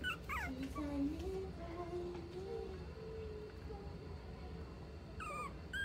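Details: Mixed-breed dog at a pet shop in Nagano, Japan, giving high, thin whimpers: sliding squeaks at the start and end, with a long wavering whine between them over steady low hum and faint human speech.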